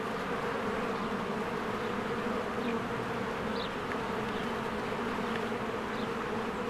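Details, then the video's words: Spring beehive with many honeybees flying in and out; a thick, unbroken buzzing drone fills the air, while faint high chirps of birds rise now and then over the hum. "1 Hour of a Beehive ASMR"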